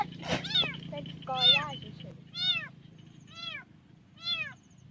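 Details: Lost kitten crying from inside a hollow beside a rice field as a family finds it, 9 August 2023: five shrill, arched meows about one per second over a low background hum, with a woman's voice near the start.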